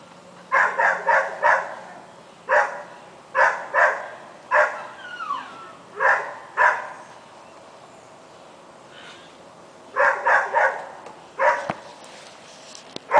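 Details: Dogs kept outdoors barking in the rain on August 23rd at 8 p.m.: sharp, clipped barks in quick runs of two to four, separated by pauses of one to several seconds, over a steady hiss of rainfall.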